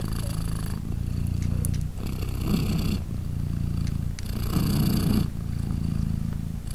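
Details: Purring British Shorthair mother, Polina, with three newborn kittens three days old as they nurse; deep continuous rumble with breathy upper bursts on each breath cycle, faint rustles in between.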